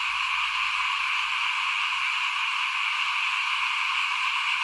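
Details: Frogs calling before a house during the 2021 rice sowing; an even, constant chorus fills the upper range without pauses or rhythm changes.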